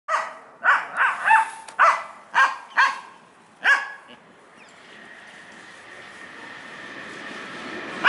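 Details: Pet dog barking, apparently excited about a squirrel: about seven sharp, loud barks in quick irregular succession over four seconds, then quiet with a rising background hiss and a final bark at the end.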